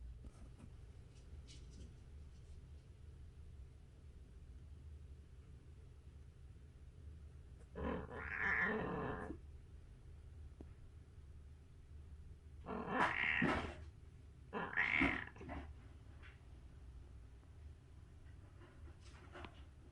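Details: Kitten at 37 days old giving strange noises: three separate bright, harmonic mews, the first longer and drawn out, the next two shorter and close together a couple of seconds apart, over a low steady indoor hum.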